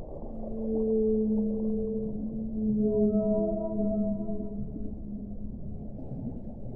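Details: Loud, overlapping whale moans in several harmonic layers start low, then add higher sustained tones midway. They fade over a murky low-frequency hum.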